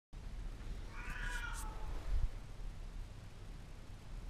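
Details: Pet cat giving a single drawn-out meow to wake its owner in the morning, acting as an alarm clock, with clear stacked harmonics lasting about half a second, then a quiet indoor room with low rumble.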